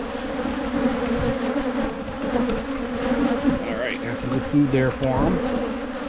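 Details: Honey bees at hives in Michigan as they are split to try to prevent swarming: a dense, steady low buzz with a strong hum band and overtones, and a human voice briefly rising and falling over it toward the end.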